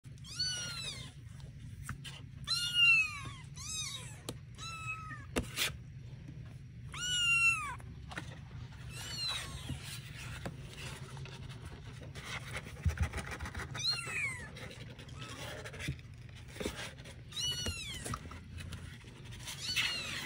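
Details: Baby kittens of an outdoor mother cat named Pom Pom, meowing in thin high falling mews, several in short clusters, over a steady low hum and light handling noise.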